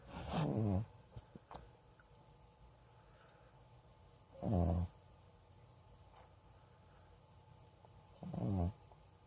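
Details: Cyrano, an elderly domestic cat adopted from a friend, snores loud enough to wake people: three deep, buzzy, rattling snores roughly every four seconds, each under a second long, with faint clicks between in a quiet indoor room.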